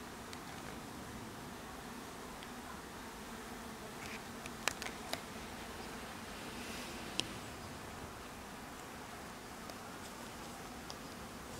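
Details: Hive bees keep up a constant low drone while a few sharp clicks or taps cut through, most of them clustered near the middle.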